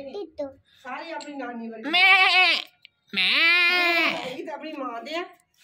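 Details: Newly bought goat calling nonstop: two loud, wavering bleats with a trembling, buzzy tone, each lasting about a second, preceded by softer voices and indoor chatter.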